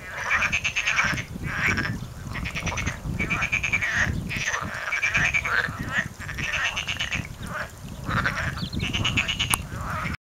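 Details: Frogs call from a stream bed north of Paphos, Cyprus, on 14 January 2019: a dense chorus of rapid, pulsed croaks overlapping without pause.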